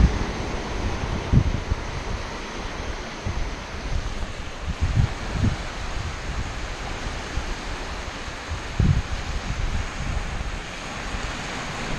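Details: Steady wind buffeting the microphone at a beach, with rolling ocean surf and no animal voice heard.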